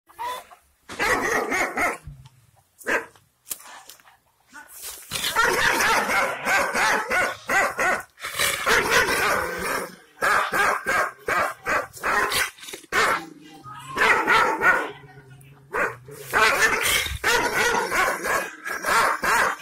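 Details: Kangal shepherd dogs of the Aksaray Malaklı type in Anatolia, Turkey, barking angrily at unfamiliar visitors while guarding their owner's property. Harsh, rapid barks come in dense bursts separated by short pauses.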